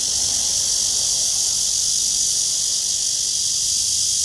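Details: Tree-dwelling cicada heard on a walk at 9:27 a.m., 23 August 2020, under a clear blue sky; an unbroken, sizzling high whine, loud and even throughout.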